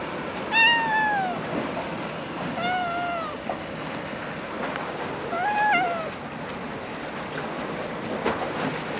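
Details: Stray cats gathered along a seaside road in the evening, being petted; several drawn-out meows, each rising then falling, a long pair near the start, another around the middle and a wavering one later, over steady background hiss.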